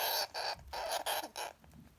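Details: A male long-haired Syrian hamster with anger issues screams: four rasping, breathy bursts, each about a quarter second long, in rapid succession, coarse and noisy rather than tonal, then quiet.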